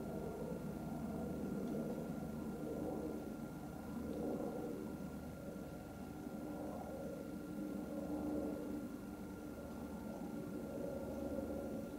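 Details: A steady low rumble and hiss with a faint constant electronic tone throughout; no animal calls can be picked out.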